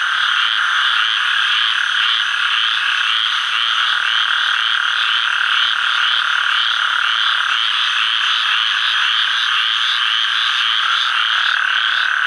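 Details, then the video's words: A male Gulf Coast toad (Incilius nebulifer) calling in Sherburne WMA, Atchafalaya Basin, south-central Louisiana, on 11 July 2013: a steady, rattling trill that continues without a clear break. "Calling male Gulf Coast Toad, Incilius nebulifer"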